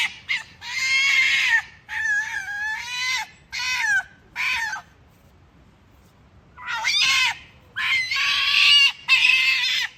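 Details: Mother and young foxes at a fox farm in Kitami, Hokkaido, Japan, giving unusual calls: harsh, high screaming cries in bursts of one to two seconds, several in quick succession, with a pause mid-way before more overlapping screams.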